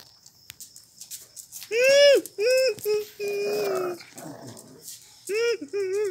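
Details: Tiny, spirited Pinscher no. 0 (Miniature Pinscher) staying at a dog hotel in Brazil, giving drawn-out, tonal whiny yelps that arch up and fall, one held steady for a second, in short bursts separated by brief pauses.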